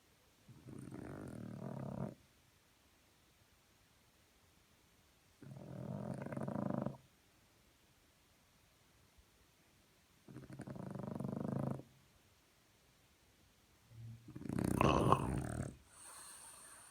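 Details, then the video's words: Sleeping French Bulldog snoring in the morning: four deep, grumbling, throaty breaths spaced about four seconds apart with near silence between. The last snore is the loudest and harshest, ending with a brief snort. "Французский бульдог. Утренний храп"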